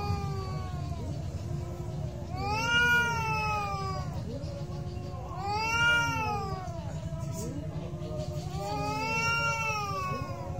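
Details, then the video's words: Cats fighting, with loud rising-then-falling caterwauls that swell about every three seconds between quieter moaning yowls, the calls overlapping and wavering above steady low background noise. "real cat fight with sound"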